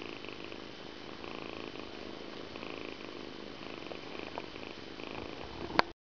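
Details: Indoor Persian cat during evening grooming, a steady soft purr running without break, with faint rustling, a thin constant tone, and a sharp click just before the end.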